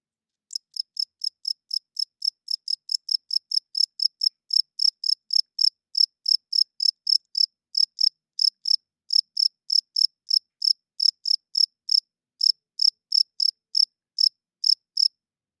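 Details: A cricket chirps at night in a long, steady series of sharp, high pulsed chirps, roughly three per second, with slight gaps in the rhythm. It grows a little louder after the opening seconds, with no other sounds.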